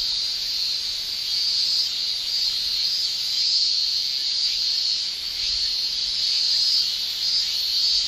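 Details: Japanese summer cicadas shrill continuously, a bright high buzzing wall of sound with only slight rises and falls in intensity.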